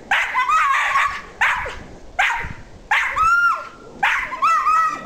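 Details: Pet dog up a yard tree, giving monkey-like noises: a run of five sharp, high-pitched yelping whines, each with a wobbling, squeaky tail, about one per second, after a person says "go, get him".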